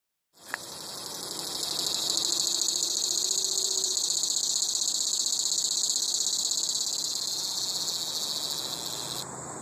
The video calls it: Buzzing Cicada